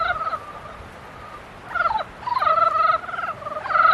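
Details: Breeding-season frogs: a faint drawn-out croak, then louder rattling, pulsed calls in quick succession from nearby animals.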